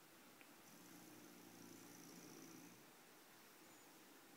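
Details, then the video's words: Bulka the bulldog snores in sleep: one steady, low, buzzing breath lasting about two seconds, with a faint whistle above it, then quiet breathing. "Bulka Snoring"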